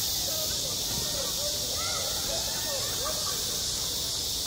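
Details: Cicadas sing through a hot summer day at a school yard, producing a seamless high-pitched sizzling drone, with soft intermittent rising and falling tones further back.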